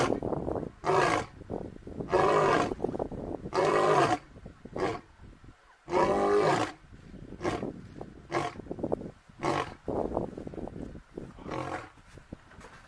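A lion roars in a series of long, rasping bellows that taper into shorter grunts.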